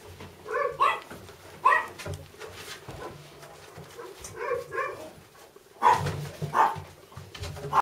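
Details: Young Labrador Retriever littermates yelping in short bursts, bright squeaky cries rising and falling in clusters, separated by quiet whining and a low rumbling background indoors.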